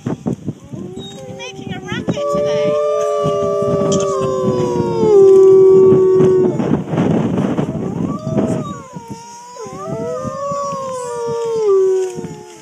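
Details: Two captive wolves at the UK Wolf Conservation Trust howling together: long, smooth, mournful tones that slide slowly downward, overlapping voices rising and falling in pitch, with a brief noisy break midway.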